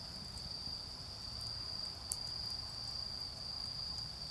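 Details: A high, even ringing from autumn insects runs throughout this short stretch of an autumn night in a garden, with one sharp crack from the bonfire midway and a quiet low rumble.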